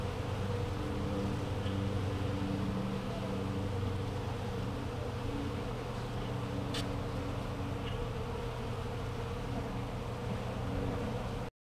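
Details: Many newly hatched western honey bees orient to their hive on 27 April 2014, producing a steady, low droning hum of overlapping wingbeats; orientation flights often happen on warm, clear, calm days.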